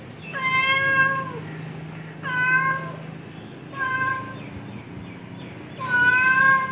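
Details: Four steady, level meows from a domestic cat, each about one second long and evenly spaced, with a faint constant hum underneath in a quiet setting.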